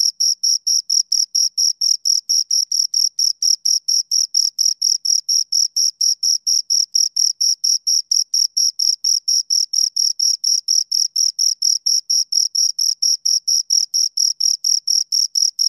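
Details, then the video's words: Two crickets chirping steadily, a clean high-pitched trill of short, evenly spaced pulses, about two per second, continuing without a break; no other sounds. "Two Crickets Chirp Sounds"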